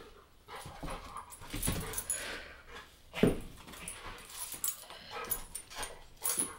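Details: Bulka, an American bulldog, and Ava, a Boston, play together indoors: scattered rough snorting and huffing bursts, one sharp short yip-like note midway, with scuffling and rustling between them.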